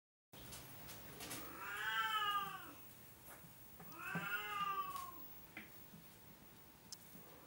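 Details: Oriental cat giving two drawn-out meows, each rising then falling in an arched, harmonic-rich tone, about two seconds apart, over quiet background hum.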